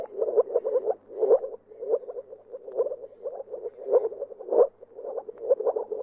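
Moor frogs give soft, low bubbling calls, short muffled pulses repeated in quick runs.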